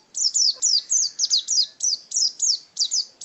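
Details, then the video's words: Caged pet white-eye (pleci), a contest bird, singing a fast run of high, sharp descending chirps, about a dozen short notes in quick, slightly uneven succession. "Birds Chirping Pleci Master Joss Chirps"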